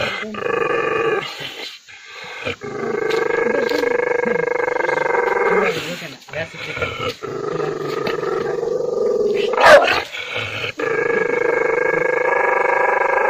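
An angry dog gives long, rasping growls that swell into harsh barks with brief pauses between.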